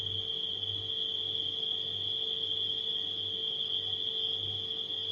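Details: Steady, shrill trilling of crickets at night fills the whole stretch, set against a gently throbbing refrigerator hum.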